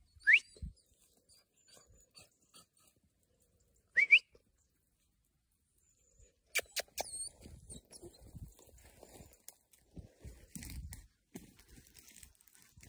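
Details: Young Podenco hounds during a training session; two short, sharply rising high yelps a few seconds apart, followed by rustling, scuffling and scattered faint yips.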